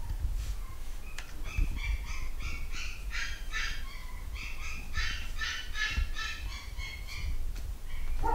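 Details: A litter of nine-week-old Malshi puppies, boys and girls, kept by UK breeders, yelps in a busy chorus: short high harmonic cries from several pups overlapping almost continuously, with soft thumps and handling noise beneath.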